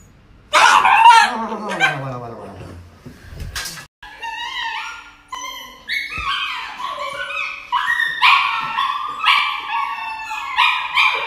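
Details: Dog receiving an injection lets out a long opening wail, then a rapid run of short, high yelps and whimpers, several per second, with a person's soothing voice in the background.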